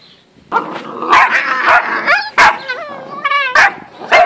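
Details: Great Dane puppies, 8.5 weeks old, from an F litter dated 4 June 2014 of two males and three females. High harmonic whines and sharp yips overlap after a quiet start, with bent, wavering whimpers and short bark-like bursts.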